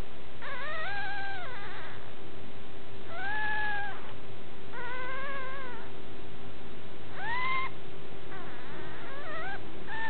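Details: Puppy crying in a series of long, arched whines and shorter wavering whimpers, roughly every two seconds, over a continuous low electrical hum.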